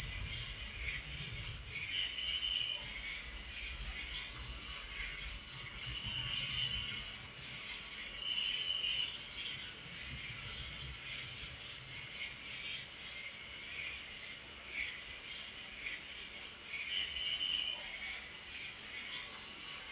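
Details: Crickets trilling in the night: a high, rapid, ceaseless pulsing drone, with occasional softer lower chirps and a faint low rumble early on.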